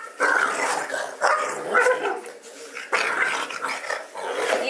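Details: Pet dog at home going crazy in his bed, letting out rough, broadband bark-growl bursts roughly every second, mixed with a man talking to him.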